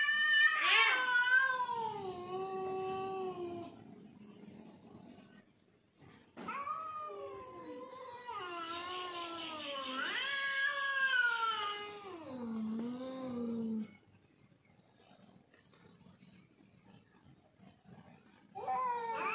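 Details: Domestic village cats fighting over territory yowl in long, wavering, rising and falling wails.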